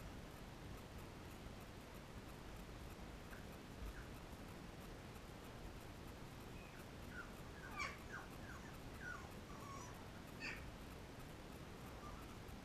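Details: Nursing Labrador Retriever pups, 13 days old, feeding from mother Cecilia: soft high whines and squeaks bunch together in the middle and later part, some sliding down in pitch, over a muffled background hiss.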